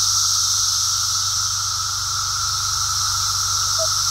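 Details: Massed song of periodical cicadas from the Brood X emergence, heard on a walk: a steady droning tone beneath a harsh, hissing wall of buzzing that never lets up.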